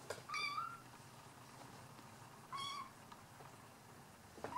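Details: Bengal cat meowing indoors: two clear tonal meows about two seconds apart, each slightly rising then bending down, with bright harmonic overtones, and a third meow starting at the very end; otherwise quiet, with faint background hiss.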